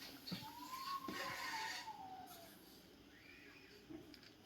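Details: A cat sulking because it did not like its food gives one long, drawn-out meow that rises slightly and then slowly falls over about two seconds. It is faint, with soft background noise and brief clicks.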